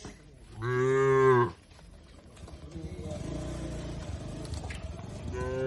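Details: Cattle driven toward an open field in a peaceful rural setting give one strong, rich moo. Fainter lowing and background rumble follow, and another moo begins at the very end.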